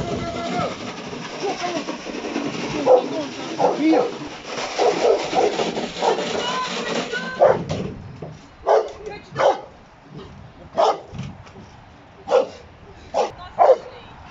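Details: Giant Schnauzer Uran von Elberfeld (Hektor), an entrant in the AVD2020 Bronze Class trial; people talk over the first half, then deep single barks come in short bursts roughly once a second while voices continue.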